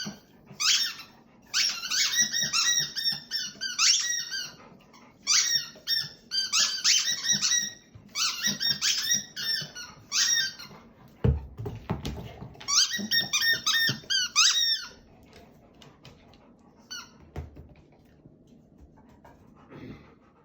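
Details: Indoor black Labrador Retriever performing its endless whistling solo, kept up until someone stops it: clusters of shrill, squeaky, wavering whines in bursts of a second or two, separated by short pauses, fading to quiet shuffling near the end.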